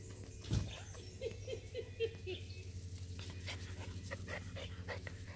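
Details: Two male Jack Russell Terrier puppies give a short run of soft, squeaky whimpers over a low background hum.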